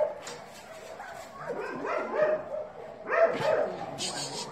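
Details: Dogs whining and yelping in a run of rising and falling pitched cries, some overlapping, with a human voice heard alongside and a brief hiss near the end.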